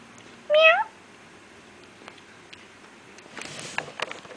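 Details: Feral kitten from a litter born to a feral cat in an industry area lets out one clear, bright rising mew early on, followed by quiet and then a burst of rustling and handling noise.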